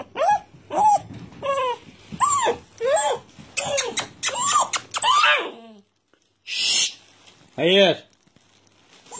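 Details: Young red Doberman, Tiramisu, roughly 54 or 55 days old, indoors while being told not to bark: a run of short arched yelping barks about every 0.7 seconds, a pause, then two louder yelps, with a person speaking over them.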